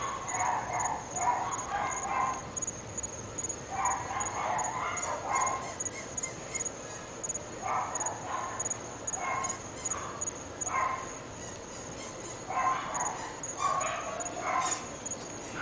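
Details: Dogs of a household in North Bay Village, said to be three and to bark morning, noon and night, bark in scattered bursts from a distance, with a steady high insect trill running throughout.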